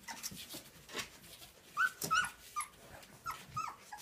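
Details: Nineteen-day-old Transylvanian Hound puppies whining softly; brief high-pitched squeaks and thin whimpers recur several times a second among faint shuffling noises in a quiet room.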